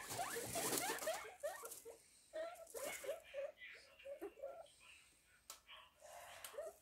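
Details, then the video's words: Guinea pig at home in the cold of winter: a run of quick chirping squeaks, rising and falling, repeated several times a second at first, then in looser bursts, with some rustling. "guinea pig ka ghar sardi mein"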